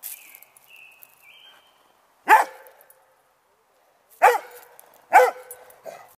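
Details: A Rhodesian Ridgeback barking at a turtle in the yard gives three loud, deep barks spaced a second or two apart.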